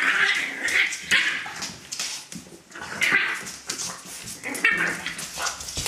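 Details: A litter of puppies, Litter A of Celtic Mist, gives high thin whimpers and yips that rise and fall in quick overlapping bursts, with scratchy rustling between the cries.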